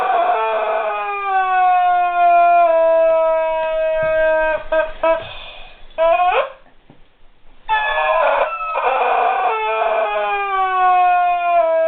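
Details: Guard dog whining over a squeaky toy it cannot make sense of: long, steady, high tonal whines, held for several seconds and sliding slightly downward, with a short break of rustling and quiet before the whining resumes.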